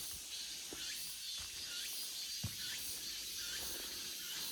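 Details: Steady high-pitched cicada drone in an August forest, unbroken for a few seconds, with faint curved chirping notes repeating about twice a second underneath and a soft tap near the midpoint.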